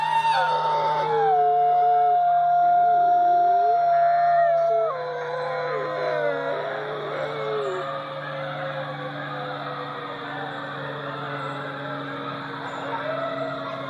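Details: Long wavering dog howls open with a high sustained note stepping downward, then several voices trail off into softer, lower drawn-out tones that fade over the remaining seconds, with a steady low hum throughout.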